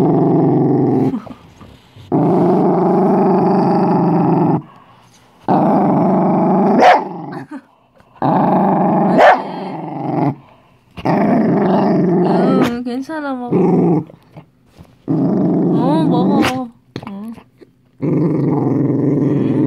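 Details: A Dachshund growls in fear over a homemade treat. Repeated low, gravelly rumbles come with brief pauses, broken by a few sharp snaps and higher wavering whimper-like notes in the middle.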